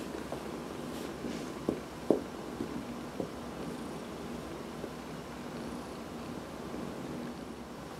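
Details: Adopted house cat, Dinah or Heidi, purring during a massage; a continuous low purr underlies a few sharp clicks and taps near the start, otherwise steady and even.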